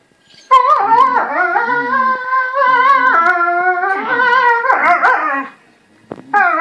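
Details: Northern Inuit dog howling while playing: long, wavering, harmonic howls that rise and fall in pitch, one sustained for several seconds, ending with a short yelping burst.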